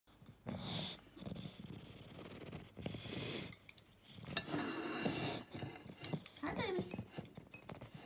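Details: English Bulldog eating, with irregular bursts of wet chewing and snuffling noises separated by short pauses, and a person's voice briefly nearby.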